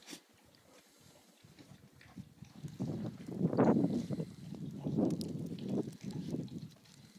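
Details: Two-month-old Old English Sheepdog (Bobtail) puppies on their first day in snow, with their mother and seven-month-old half-sister Hannah; low, rough grunting bursts swell and fade over a few seconds, with soft rustling between.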